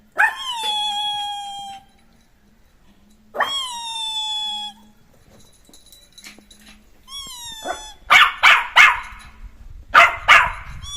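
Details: Neo the Jack Russell Terrier puppy at play: long, clear, descending whining yelps drawn out over a second or more, then a burst of rapid, sharp barks near the end.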